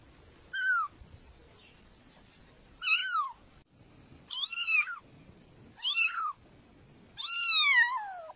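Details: Cat meowing five times at irregular intervals, the calls growing longer and louder, the last a long wavering meow that slides downward, over low background hiss.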